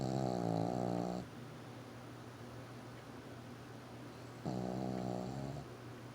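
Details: Wallace, a pet dog, snoring indoors: two long, low, rasping snores of about a second each, separated by a quiet gap of roughly three seconds, with a steady low hum underneath.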